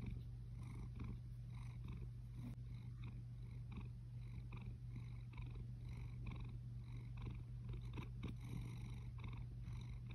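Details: A male chocolate lynx Balinese cat purrs steadily, a low continuous rumble of contentment.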